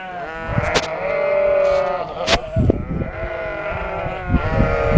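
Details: Shropshire sheep in a Shropshire field after lambing; a long, steady bleat followed by shorter wavering ones from several animals, with sharp clicks and low rumbling noise in the background.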